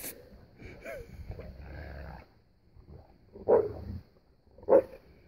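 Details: Boerboel dogs Jade and Odi picking on son Crusher during snow play in 2016: a low, sustained rumbling growl, then two short, sharp growly barks about a second apart.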